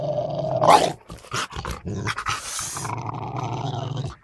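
An angry Rottweiler gives a loud, harsh bark followed by deep, rumbling growls.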